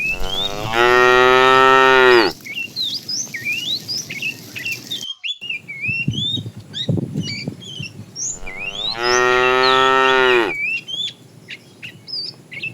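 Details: Tame cows wandering in the morning to find food give two long, loud harmonic moos several seconds apart, with lively bird chirps and twitters filling the gaps.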